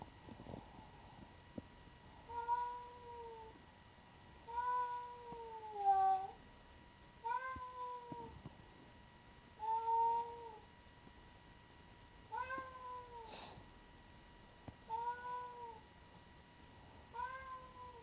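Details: A black-and-white tuxedo cat meowing on April 9, 2025: seven mid-pitched, slightly falling meows spaced about every two and a half seconds, over a steady high electronic whine.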